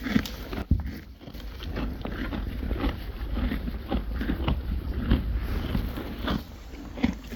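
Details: Friesian horses and foals chewing hay, a continuous low crunching and grinding with a few sharper clicks standing out.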